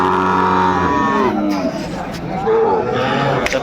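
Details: Sahiwal bull calf at a busy cattle market in Comilla, Bangladesh, 13 August 2024, giving one deep, steady, harmonic moo lasting about a second, followed by market chatter and bargaining voices.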